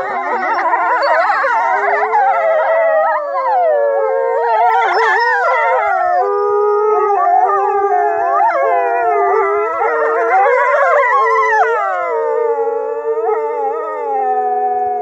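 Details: A pack of Norwegian wolves in full chorus, many voices howling at once in a dense tangle of wavering, rising and falling tones, with yips and short sliding notes woven through the steady wall of sound.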